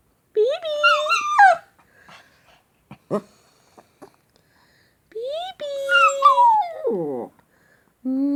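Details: Little male Shih Tzu pup, responding to kisses and being called "baby", gives a short whining cry. Faint clicks and soft rustles follow, then a longer wavering whimper that falls in pitch, and a final brief whine.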